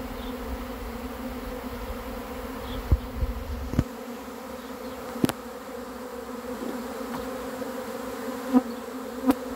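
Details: Honey bees swarming in as they are caught: a constant layered drone with sharp clicks and taps scattered throughout. Low rumble drops away after about four seconds.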